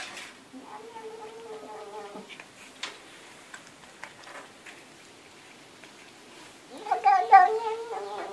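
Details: A domestic cat speaking in a human-like way with two drawn-out meows. The first is a steady, held call that fades at about two seconds. After a long quiet stretch with soft clicks, a louder, wavering second meow comes near the end.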